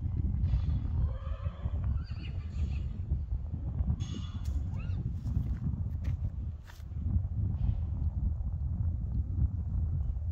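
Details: Whinny from Friesian horses at play in an arena, a group of five, including the youngest, that plays there almost daily. A wavering, harmonic neigh rises and falls over the first three seconds above steady low rumble, followed by scattered sharp knocks.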